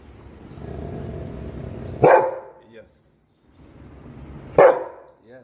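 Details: Golden Retriever barking twice, about two and a half seconds apart, each a sharp explosive woof over low background rumble, with brief speech-like sounds between.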